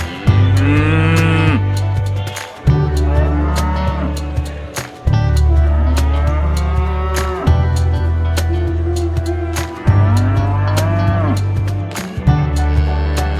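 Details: At an animal market, cattle call to their friends with about five long, arching moos spaced a few seconds apart, each swelling and fading, over a continuous deep rhythmic background.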